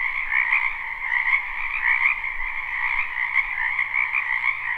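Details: Frogs croaking in a wetland behind a house in spring, recorded live without looping: a dense, continuous chorus of overlapping trilled croaks, with a faint low hum underneath.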